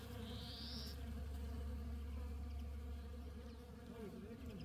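Honey bees give a steady, low, droning buzz that holds evenly throughout.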